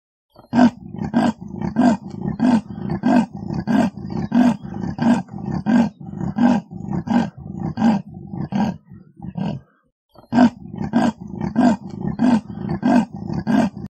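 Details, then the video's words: Rasping sawing roar of a leopard, about fifteen harsh grunts given at an even rhythm, a brief silent gap near the end, then the same grunting series resumes. "EL LEOPARDO - El rugido (sonido)"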